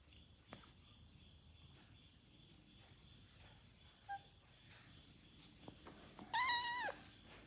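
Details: Domestic cats, a young male named Krathi playing with an older cat called White; one clear meow near the end, a harmonic, slightly wavering tone lasting about half a second, over faint rustling and room noise.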